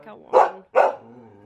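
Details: In Aomori, Japan, a male Akita Inu barks angrily at a visiting woman. Two loud, harsh barks come in quick succession about half a second apart, with soft human voice before and after.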